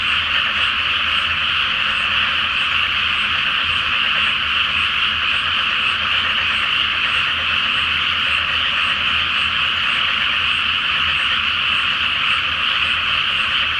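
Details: Nighttime massed frog calling over a flooded paddy before rice planting, full moon overhead; fine rapid pulses blend into a sustained, steady chorus that holds its loudness throughout.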